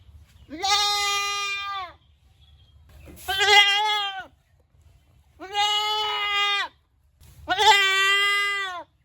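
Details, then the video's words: Four loud, nasal goat bleats, each about a second long and slightly wavering, spaced roughly two seconds apart with quiet gaps between them. "Goat Sounds Baa Baa"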